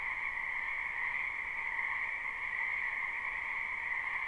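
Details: A wetland behind a house in spring, where many frogs croak together in a live recording, gives a thick, steady ringing chorus with a high shrill layer over a lower one, unchanging throughout.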